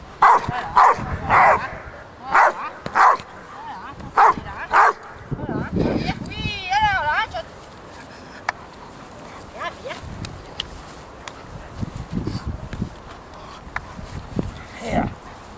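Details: Female Rottweiler in RCI protection training on 28 November 2009, barking in a rapid series of deep, repeated barks, with a man's shouted commands, whistling and outdoor background noise.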